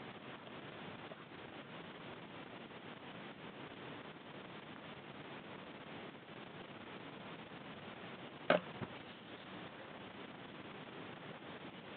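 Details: Steady indoor hiss runs throughout, broken by a single sharp click near the end.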